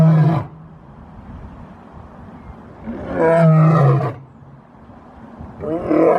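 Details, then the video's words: Lion roaring in separate deep, gravelly bursts: one at the start, a longer swelling roar near the middle, and another beginning at the end, with quiet gaps between. "Lion Roar Compilation"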